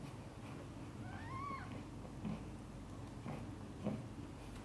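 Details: Domestic cat during the birth of five kittens, with mother cat Chan in a hard labour; a single thin, arched mew rises and falls near the middle, with soft scattered clicks and a constant low background hum.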